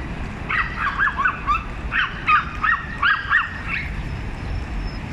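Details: Several small dogs gang up on one big dog, barking at it in turns: a fast run of about a dozen high, sharp yaps in quick irregular bursts over steady low background rumble.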